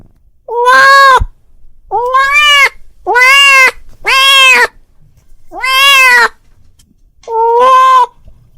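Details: Domestic cat calls his friend with six bleating, somewhat goat-like meows over eight seconds, strong and harmonic, each under a second, spaced irregularly.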